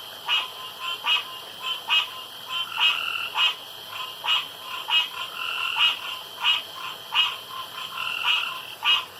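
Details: Loud male frogs calling around a pond at night in contest for the loudest, longest croak: crisp clicking croaks repeated about every half second to second, interleaved with brief drawn-out harmonic calls.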